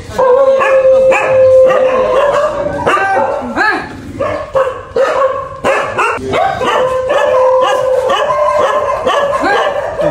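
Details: Little dogs cared for as a charitable deed bark and yip in rapid, uneven bursts, roughly 88 per minute, over a long steady whine, with brief human voices in the background.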